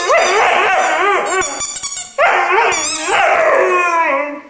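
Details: A musical three-month-old Irish Wolfhound pup howls in long, mournful notes that swoop up and fall away, two sustained phrases separated by a short break, ending on a descending tone.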